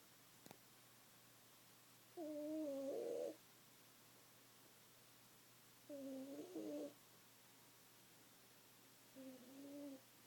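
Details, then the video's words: A domestic cat snoring loudly while asleep, deep enough that it does not wake; three drawn-out nasal, wavering breaths spaced about three to four seconds apart over a quiet background. "Cat snoring very loudly"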